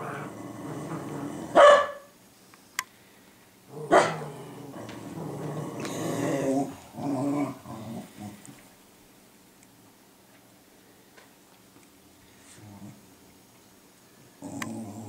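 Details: Dogs Cooper and Sophie in a guard-dog lesson from Sophie, recorded 12 6 2014: two sharp barks early on, then a stretch of rumbling growls and mutters, followed by long near-silence and a final short bark.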